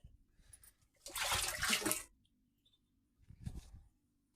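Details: A short burst of splashing, flushing water followed by a quieter gush, in a small room, with no animal sound heard.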